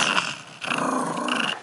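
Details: Tater, a pet dog, growls while playing with a red bone indoors, a low rumbling growl with short breaks, as a person repeatedly asks for the bone.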